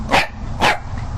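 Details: A dog gives two sharp, loud barks about half a second apart over a low background rumble.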